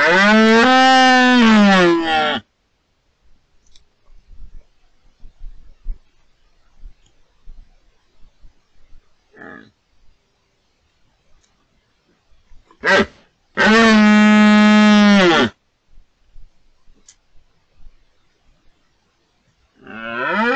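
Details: Twelve-point red deer stag bellowing during the rut, October 2023, at Cerro Escribano and La Tinajilla, Refugio de Fauna Chico Mendes, Spain: two loud, deep, harmonic-rich roars of about two seconds each, separated by a long quiet stretch with faint rustling.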